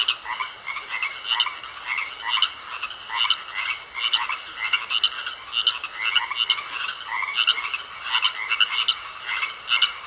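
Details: Chorus of frogs croaking in a pond. Busy, rhythmic raspy croaks come about twice a second throughout, with several callers overlapping. A steady high whine sits beneath them.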